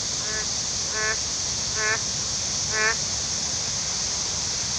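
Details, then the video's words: A lone frog calls at Yudeungcheon stream after Typhoon Khanun (No. 6) has passed. Four short, nasal, harmonic calls come roughly every second over a steady high-pitched insect-like hiss. "제6호 태풍 카눈 지나간 유등천에 슬피우는 홀로 남은 개구리"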